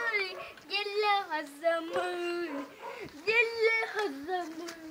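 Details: Husky dog named Molly giving a continuous run of wavering, whining vocalizations that slide up and down in pitch, mid-pitched and rich in overtones, with brief dips between phrases.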